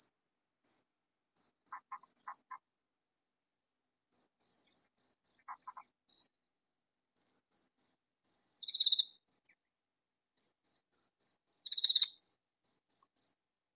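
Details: Loud katydid in a vegetable garden giving two rasping, buzzy bursts roughly three seconds apart over a steady series of faint, thin, high chirps, with a few soft clicking pulses early on.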